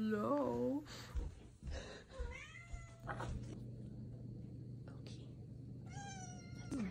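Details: Female Ragdoll cat indoors giving a short wavering meow at the start and a pair of rising-falling meows near the end, with a woman talking gently in between over a low electrical hum.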